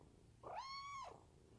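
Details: Munchkin kitten gives a single clear meow under its owner's touch, a smooth, level, harmonic tone rising at the start and falling away at the end, lasting about half a second.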